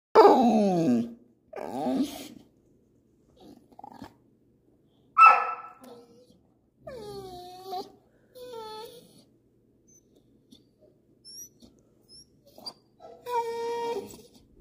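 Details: Siberian Husky giving a varied run of vocal sounds: a harsh opening burst, several moaning, wavering howl-like calls with falling pitch, short whimpers, and a final drawn-out whining call, separated by quiet gaps.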